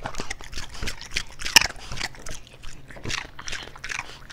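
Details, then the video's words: A French Bulldog eating indoors, with rapid wet crunching and chewing clicks, irregular bites across the whole stretch, one sharp loud crunch midway, faint whispering voice in the background. "MY DOG TRIES ASMR!! (Eating sounds)"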